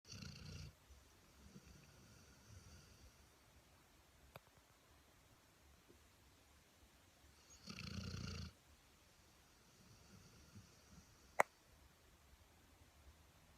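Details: Sleeping dog snoring indoors: two rough, low breathy snores about eight seconds apart, with a quiet room between and a sharp click near the end.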